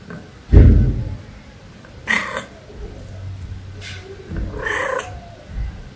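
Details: Stray tuxedo cat that visits a house for food gives two drawn-out, wavering meows about two and a half seconds apart, preceded by a short low thud, with faint background rumble.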